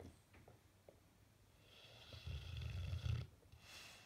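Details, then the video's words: Bullmastiff asleep with twitching face, a single loud low snore building over about a second, preceded by faint soft clicks and quiet breathing. "Bullmastiff face twitching and snoring"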